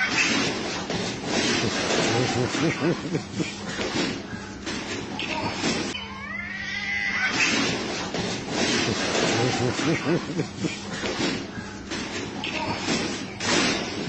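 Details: Street cats fight on a roof and in alleys with drawn-out yowls and harsh wavering wails, while human voices and laughter carry on in the background.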